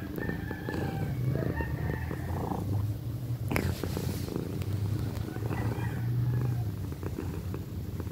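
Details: Loud purring from Pequeña, a pet cat turning one in April, a deep continuous rumbling drone with regular throbbing pulses and brief handling noise midway, plus faint higher background sounds.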